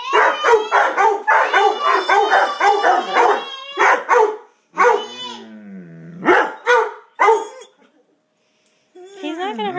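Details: Two pet dogs bark wildly at another dog seen outside; rapid barking for about four seconds, then a whining howl and a few more barks, with a person's voice near the end.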